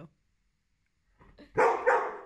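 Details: Dog frustrated at a tennis ball stuck on top of a crate it cannot reach; soft scuffling, then two sharp barks in quick succession, the second slightly fainter.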